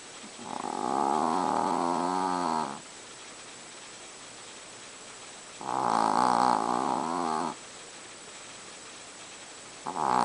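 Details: Small pet Chihuahua deep asleep, snoring loudly for its size: long buzzy harmonic snores of about two seconds each, repeating roughly every five seconds, with a third snore starting at the end; steady low hiss between.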